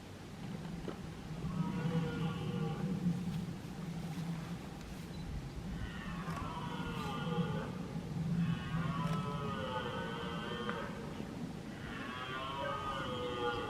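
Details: Red deer males roaring within a group in Weerterbos, Limburg, on 23 September 2019. Long, harmonic, moaning roars rise and fall near six, nine and twelve seconds, over a steady low hum and faint background noise.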